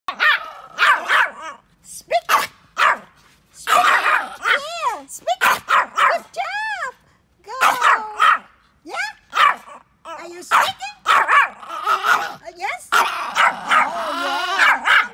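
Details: A Pomeranian barks outdoors, giving a rapid series of sharp yaps mixed with rising and falling whiny yelps, some drawn out and arching, with short pauses between bursts.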